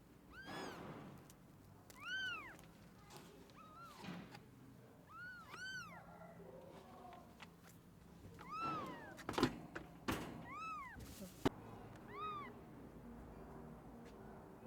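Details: Rescued stray kitten, abandoned and left two days in -11°C snow, calls in a run of short arched meows roughly every one to two seconds, some doubled, over quiet background rustle and a few sharp clicks.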